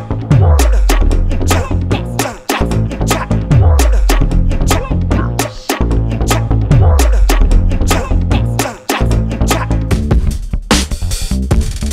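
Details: Loud funky music with punchy drums and a repeating downward-sliding bass effect, with no animal sounds audible.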